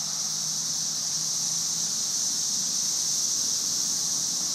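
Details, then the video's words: Dense chorus of thousands of cicadas in trees, May 2011 invasion, heard as a constant shrill sizzle like white noise filling the air, steady throughout with only faint low rumble beneath. "Cicada "Music" May 2011"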